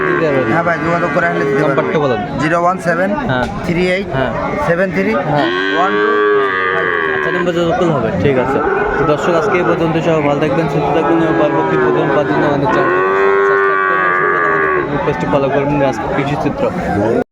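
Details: Sahiwal breed bulls acquired by a Chattogram farmer, 17 December 2024: a series of repeated loud lowing moos, each arching up then down, roughly every few seconds, amid continuous human chatter and bustle.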